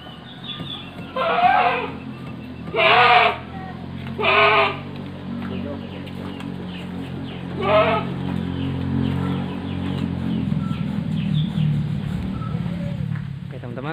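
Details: Etawa goats in a farm pen at Ngrambingan village, Panggul, Trenggalek, Indonesia, three large pregnant does and a young buck; several loud harsh bleats in the first five seconds, one more near eight seconds, over low steady hum.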